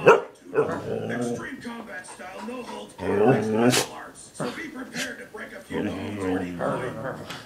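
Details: Kiba, a wolf hybrid found as a stray and fearful of humans, three months after rescue, bantering back and forth with a person indoors while the TV plays; drawn-out, moaning, harmonic vocal phrases in several bursts, mixed with a human voice.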